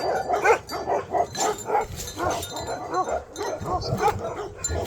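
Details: Himalayan sheepdog (Bhote Kukur) in Nepal giving a rapid series of harsh barks, about two or three per second, over a faint chiming and steady background hiss.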